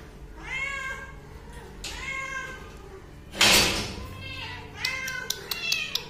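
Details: Three rising and falling meows from a hungry kitten asking to eat, spaced a second or two apart, broken by a sudden loud rustling clatter in the middle and a few sharp taps near the end.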